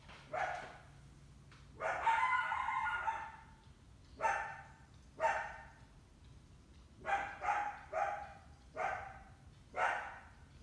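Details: Summer coyote with at least one big pup, trying to hunt an indoor house cat: a run of hoarse, yelping barks with harsh upper tones, some doubled, coming in bursts every second or so.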